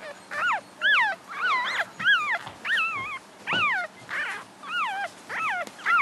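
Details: Seven-day-old English Cocker Spaniel puppies crying steadily, roughly a hundred short arching squeals per minute, each rising then dropping in pitch, fairly irregular spacing, with light rustling underneath.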